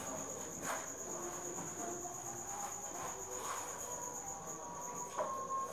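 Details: Crickets raised at the Thanh Bình cricket farm, heard at 8 pm as an unbroken shrill, even trill held at one pitch throughout, over faint background murmuring and a brief knock near the end.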